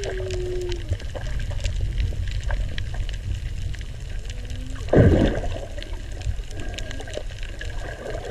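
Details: Humpback whale song recorded underwater while snorkeling over coral near an old pier in silty water, 20-30 ft deep; faint tonal moans and a short rising whistle over heavy low rumble, crackling and water noise, with a loud splash midway.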